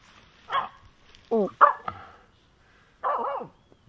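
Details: Finnish Spitz named Aamu harassing a squirrel on a walk: sharp high barks and a yelping, wavering whine in quick bursts, with quiet pauses between.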